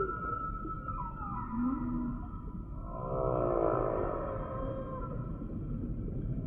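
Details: Humpback whale song sample, quieter and smeared: drawn-out high tonal moans and a brief low rising note, then a buzzy pulsed swell midway, all over a steady low rumble.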